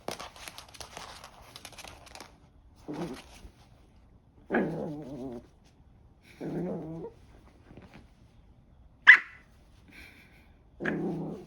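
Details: Joy, a 3-month-old Maltese puppy, growls indoors in short, rough, low bursts repeated about every two seconds, with a sharp brief click near the end and faint room noise between.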